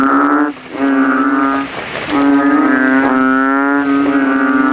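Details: Night chorus of kodok kintel, banded bullfrogs in rainwater at a cemetery, each trying to outcall the others; loud, vibrating, mooing notes with a brief break near the middle, then a long continuous moan.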